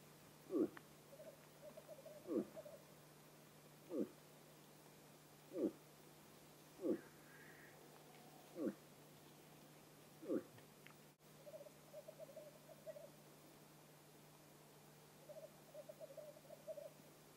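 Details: Bull moose during the autumn rut in Vest-Telemark, Norway: a run of eight short, low grunts about every one and a half seconds, then quiet with only a faint hum and soft rustling.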